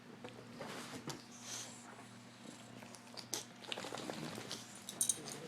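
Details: A 5-year-old female English Bulldog sleeps in the morning, snoring with a low, steady rumble and rhythmic rattling breaths.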